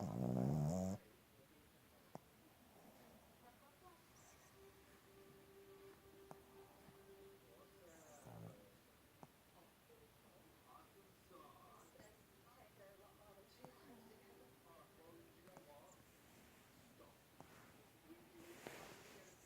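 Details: A female Boston Terrier snores softly, low breathy rumbles broken by thin nasal whistles on each breath.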